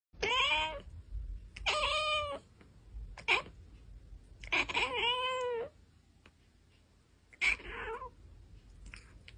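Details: Cat meowing indoors: four or five drawn-out, rising then falling meows, some whiny and slightly strained, separated by short silences, with a low hum in the background.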